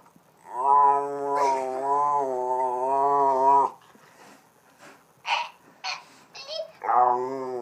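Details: Lucky, a Boston Terrier, moos like a cow when hugged. One long, steady, low moaning tone holds for about three seconds, followed by short soft grunts and a brief rising whine at the end.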